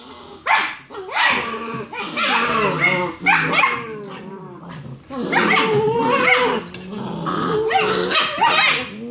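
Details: Litter of six-week-old German Shepherd puppies play fighting in their nightly after-dinner romp; rough growls mixed with sharp yelping barks and whiny squeals, several pups calling at once in dense bursts.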